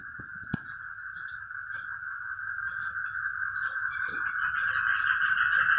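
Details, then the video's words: A chorus of frogs calling together: a dense, continuous, rapidly pulsing mid-pitched din that builds steadily louder over the few seconds, with a faint low rumble beneath and one sharp click near the start. "ang mga palaka nag ingay"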